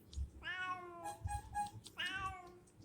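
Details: Domestic cat meowing while a woman scolds it for coming home late, two drawn-out harmonic meows with short wavering notes between, over low room noise.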